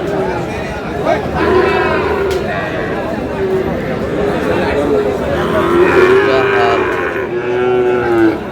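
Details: Sahiwal bull calves for sale at the opening of Aftabganj cattle market in Dinajpur. Drawn-out lowing moos rise over dense crowd chatter as men bargain over prices.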